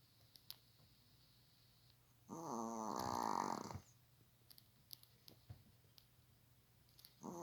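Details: Pet dog sleeping on a sofa, lying like a person, snoring heavily indoors; one long rasping, harmonic snore of about a second and a half, with quiet small clicks and rustles in the pauses around it.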